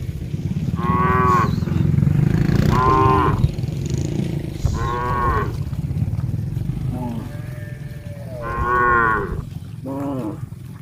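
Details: A large herd of tame cows walking toward a green grass field to graze moo repeatedly, loud drawn-out lowing calls over a steady low rumble of the herd.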